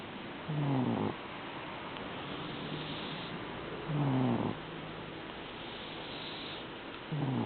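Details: Deep rattling snores from a dozing house cat known for snoring often come in regular pulses about three seconds apart, each a short coarse inhale with a faint whistling edge over quiet room noise.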